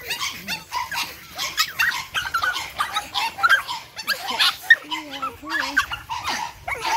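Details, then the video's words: Eight-week-old Boston Terrier puppies, an energetic litter of Charm's, give high, sharp yaps and squeaky whines, with a few wavering low growl-like notes near the end and a voice talking underneath. "Energetic Boston Terriers. Charm's 8 wk old litter."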